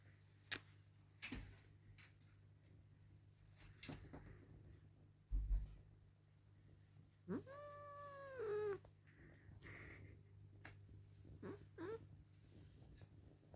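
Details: Male cat that dislikes being held, protesting while held and kissed indoors: one drawn-out, wavering meow midway, then a short faint second cry, amid quiet room noise and a few soft thumps.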